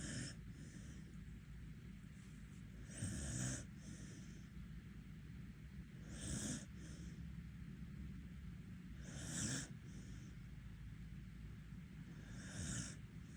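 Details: Sleeping Border Collie in Korea, eyes open, snoring: soft breathy rumbles recur roughly every three seconds across the stretch, each a short swell over a faint constant hiss.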